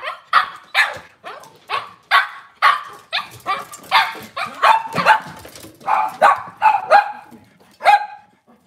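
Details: Cavalier King Charles Spaniel on a kitchen camera at a breeder's home, cloudy Monday morning; a run of sharp, fairly high barks, about fourteen in under nine seconds, some with a thin squeaky edge.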